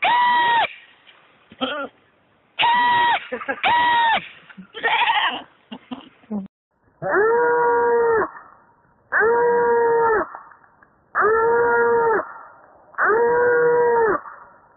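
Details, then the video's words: Slow-motion screams of a baby goat: a few short, choppy bleats early on, then four long, steady, lower-pitched drawn-out cries about two seconds apart. "Slow Motion Screaming Baby Goat"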